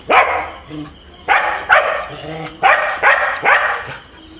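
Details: A husky and a border collie squabble playfully at home in Kerala, India. Loud, harsh barks come in bursts of two or three, about six outbursts within a few seconds, with short quiet gaps between.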